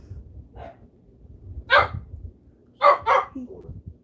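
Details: A female pet dog indoors barks because another dog in the home is barking: a faint yip, then one sharp bark, then two quick loud barks in close succession, against low room noise.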